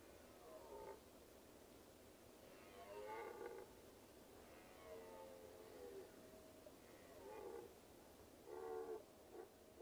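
A red deer roars in a series of deep, moaning bellows, each lasting under a second.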